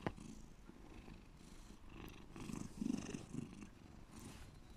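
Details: A pet cat purring deeply indoors, a low rumbling throb with pulsed bursts swelling and fading, slightly louder around the middle, with faint higher rustling noises above.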